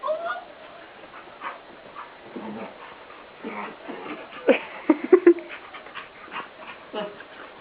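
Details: Shadow, a female dog, rolls and rubs excitedly on the den floor just after a scrub and hose-bath; short sharp whimpering yips and snorts cluster midway amid rubbing and scuffling noises, with a person talking to her.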